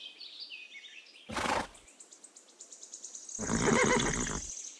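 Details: Pony neighing: a short breathy burst, then after a pause a longer, rough whinny with noisy harmonics, over steady chirping birds in the background.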